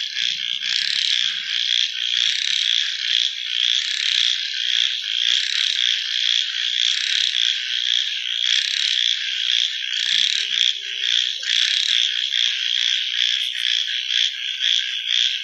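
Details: Night-time frog chorus, shrill and crowded, swelling and fading in pulses roughly twice a second, with a few brief low sounds in the background.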